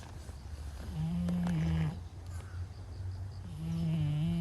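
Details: Brown-and-white stray cat, asleep, giving two deep humming snores, each lasting roughly a second, with a short quiet gap of breathing between them.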